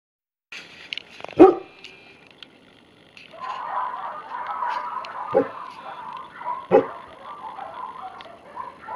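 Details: Tibetan Mastiff barking. A few sharp, deep single barks are spaced several seconds apart, with a murmur of voices in between.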